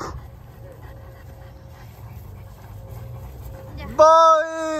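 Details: Cane Corso dogs at play, hiding and seeking in tall grass: after a quiet stretch of low rumble and a faint steady tone, one loud, tonal, rising yelp bursts out near the end and holds briefly before fading.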